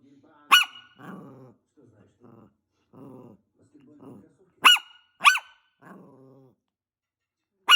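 A Maltese gives sharp, high-pitched yaps, singly and in a quick pair, with a person talking between them.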